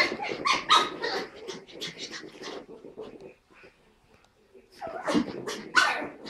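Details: Two puppies at play, a Pug called Tilda and a Chihuahua called Roz: bursts of yappy barks and growly grumbles, a brief quiet pause in the middle, then more sharp high yips and scuffling.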